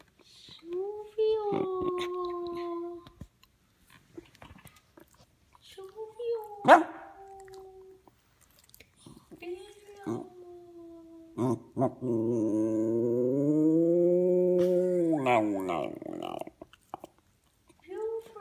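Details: A five-year-old West Highland White Terrier howling for his best friends, with sustained tonal howls that slide downward, broken by short gaps, then a long wavering, rising-and-falling howl near the end.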